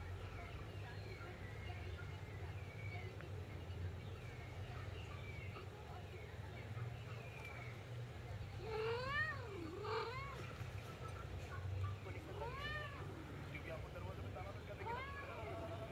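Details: Persian cat with her kitten: a series of short rising-falling meows, several in quick succession near the middle, then spaced every second or two, over a steady low rumble and faint voices.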